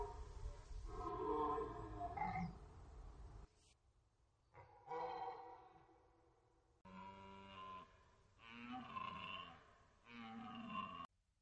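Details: Rutting red deer on the Orzysz training ground in an archival recording, bellowing in a series of deep, harmonic roars separated by short silences, each a few seconds long with a moaning, slightly falling contour.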